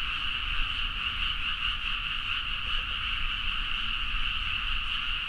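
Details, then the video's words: Dense frog chorus at midnight in rice paddies near Nagaoka, Niigata, Japan, captured on a Zoom H4n: countless overlapping croaks merge into a steady, unbroken trilling wall with two bright bands, plus low rumbling background. "The frog sound at mid night (環境,自然音 -深夜のカエル大合唱-)"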